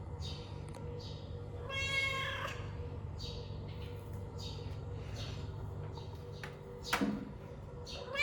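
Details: Domestic cat letting out one strained, wavering meow of under a second while a person talks quietly nearby, with a low hum and a knock toward the end.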